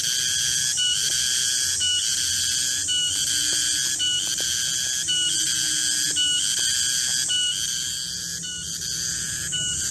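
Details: Shrill, sustained whistling drone from a garengpung cicada in a garden at midday, interrupted by short breaks about every second, with faint low sliding tones in the background.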